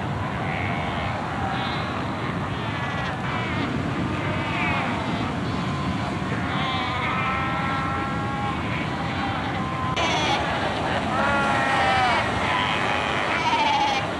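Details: Cape fur seals fighting, sunbathing and rearing pups at Cape Cross on Namibia's Skeleton Coast in 1992: a dense din of drawn-out, wavering bleats and moaning harmonic calls, some sliding upward, layered over continuous surf and wind noise.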